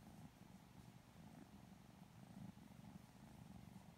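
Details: Continuous low purring from Lilac Modern Lynx Balinese kittens getting petted and cuddled, a sleepy, even rumble with gentle pulsing and faint handling noise.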